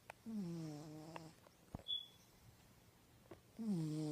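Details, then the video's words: Pet cat in deep sleep, snoring indoors: a low nasal harmonic rasp dropping in pitch, heard at the start and again near the end, with quiet pauses between breaths and faint clicks. "My Cat is Snoring"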